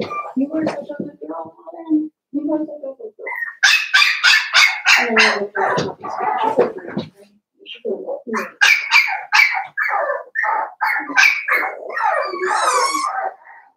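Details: Blenheim Cavalier King Charles Spaniel puppies, seven weeks old, in a home puppy pen with five littermates; a burst of shrill, rapid yapping barks in uneven runs, with low human voices at the start.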